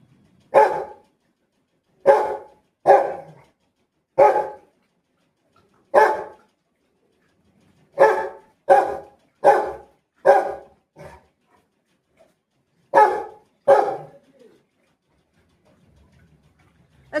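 A Rottweiler gives a run of deep, sharp barks, each a short punchy woof with some pauses between bursts. The barking sounds close and slightly boxed in, as if indoors.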